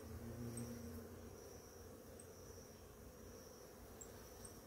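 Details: Bees swarming a flowering ora-pro-nobis plant in the morning give a continuous low hum, slightly louder at first, with a few faint high chirps above.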